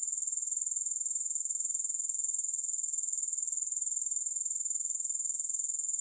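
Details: Unbroken high-pitched trill from grasshoppers, pulsing quickly and evenly, with no music or other noises.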